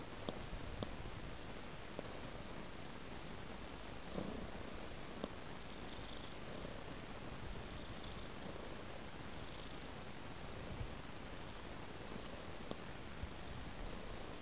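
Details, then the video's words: Steady, throaty purring from a house cat following raw meat laid in a trail; the rumble stays even throughout, dotted with occasional faint clicks. "Purring Cat Follows a Trail of Raw Meat"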